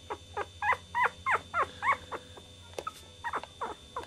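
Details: Chihuahua puppy crying in a quick series of high, bending yelps, about three per second, some sliding upward, then a short lull before softer squeaks resume.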